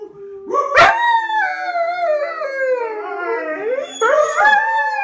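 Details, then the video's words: Young dogs singing as a group: long overlapping howls that waver and slowly fall in pitch, a sharp yelp near the start and a fresh rising howl near the end. "My pups singing"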